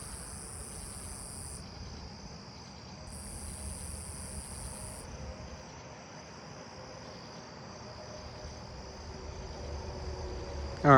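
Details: A common true katydid rasps steadily amid a night neighbourhood chorus that includes a lesser angle-wing and a Nebraska conehead in nearby ground cover.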